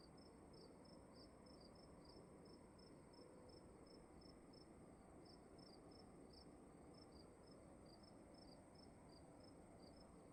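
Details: Crickets in a room, with two overlapping sets of sharp high chirps making an uneven, pulsing pattern over a low, steady hiss.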